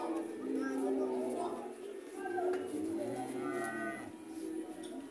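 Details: A heifer at an Indonesian animal market, described as relaxed, lets out quieter, wavering moos with short pauses between them. People talk and call out in the background.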